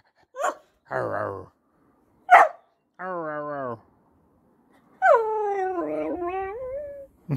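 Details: Female whippet, a pet dog, talking back to her owner with her unusual growl: drawn-out groaning, harmonic vocal sounds, some rising and falling in a wavering way, mixed with short yelps and the owner's voice.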